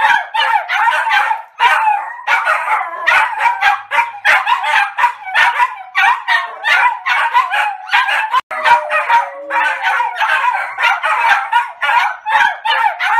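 Three Maltese dogs bark together in sharp, high-pitched, rapid yaps that overlap almost without pause.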